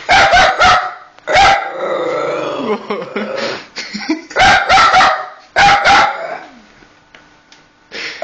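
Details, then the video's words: Female dog barking at a PS3 when eject is pressed: rapid volleys of two to three sharp barks, separated by lower droning and whining sounds, with the barks returning several times. "My Dog Milley, Barking at PS3"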